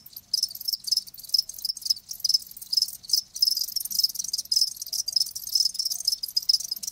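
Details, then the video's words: Live crickets giving bright, ringing chirps repeated roughly two or three times a second in a regular rhythm over a fainter shrill background. "Live Crickets 60min "Natural Sound""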